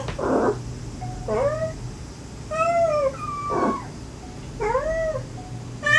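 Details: Stray mother cat and her kittens, recorded while rescuing a litter of five. The recording was replayed near a dead tree to lure the last kitten. Several short harmonic mewing calls, some rising then falling, are separated by brief broadband rustling bursts.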